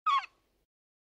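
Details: A single ring-tailed lemur at Berenty in southern Madagascar, recorded close up, gives one short mewing call: a brief nasal, slightly falling cry lasting about a fifth of a second, then silence.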